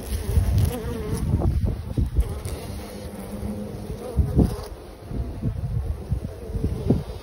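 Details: A hornet attacked by honeybees on a comb with their queen makes a low, rough wing buzz that rises and falls over the steady hum of many bees.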